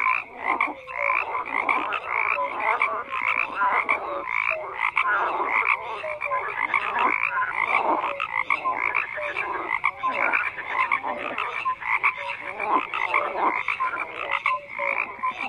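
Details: Many frogs croaking together in a continuous dense chorus, rhythmic rasping bursts overlapping every fraction of a second, short whistled notes now and then, no pauses throughout.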